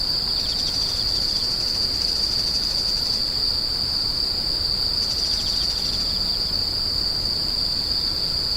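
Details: Insects screeching, a steady piercing high whine at one unchanging pitch, with brief softer rasping bursts just below it, over a light background hiss.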